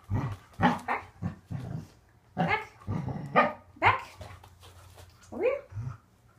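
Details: Waffle, a pet Corgi, during an indoor training session learning to extend his back feet, gives short sharp barks spread through the clip, mixed with a person's praise and commands.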